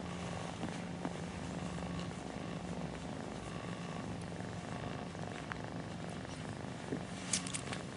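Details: Mother cat lying with her nursing kittens, giving a deep, steady, pulsing purr that runs unbroken throughout, with a few faint clicks and shuffles near the end.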